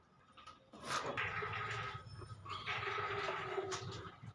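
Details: A buffalo being offered for sale gives a long, low, droning bellow of about three seconds that wavers briefly midway, with faint clatter and knocking in the background.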